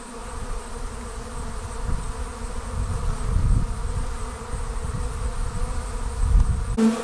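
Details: Honey bees leaving their hive as a swarm: a steady, low droning buzz with a clear hum band, partly covered by heavy low rumble that swells and fades, like wind or handling noise.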